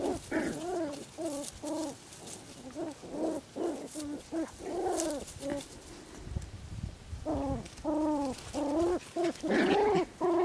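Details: Harlequin and black-and-tan Poodle puppies, six weeks old, in a garden at Güttingen, Switzerland, give wavering high whines and squeaky yelps, some rising then falling, in irregular runs with short pauses between.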